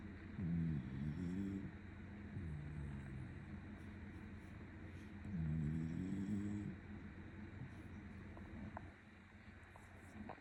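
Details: Sleeping Shiba Inu being petted snores loudly in two long rumbling bursts about five seconds apart, each a deep, wavering, buzzy drone, with soft breathing and faint room noise between them.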